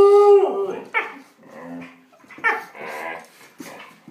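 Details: Dogs scrapping indoors: a sustained whine opens, then scattered rough growling snarls and sharp yelps in bursts, separated by short quiet gaps.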